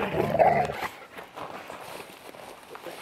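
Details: A Labrador and a mastiff playing in a forest: a rough, harsh growling bark in the first second, then quieter rustling and scuffling as the play continues.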